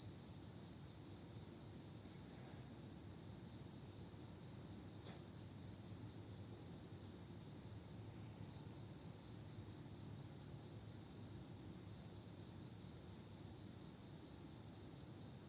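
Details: Night chorus of autumn insects, a continuous shrill ringing trill that never pauses across the whole stretch, one faint click near the middle, over soft low background hiss.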